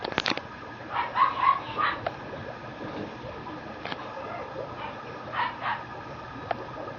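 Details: Female Mame Shiba puppy born August 3 at a Japanese breeding kennel; short, high, faint yips come in a quick cluster near the start and again later, over a steady low background hum.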